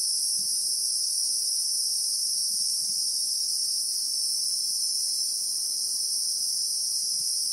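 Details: Christmas beetles (Anoplognathus) in South African bushveld with acacia trees, recorded in real time: a continuous, steady high-pitched shrill drone holding without pause, with faint low rustles beneath.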